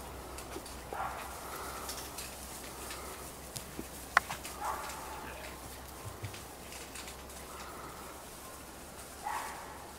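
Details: Cairn Terrier puppies at a breeding kennel in Escaudes, France: several short, high whimpering squeals scattered through the recording, near its start, middle and end, with sharp clicks and a steady low hum behind.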